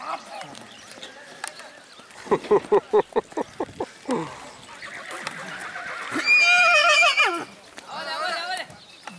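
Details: White Marwari colt at the Balotra horse fair market in India, being longed and sprinting; a loud, wavering whinny lasting about a second rises over men talking, after a run of sharp rhythmic clapping sounds.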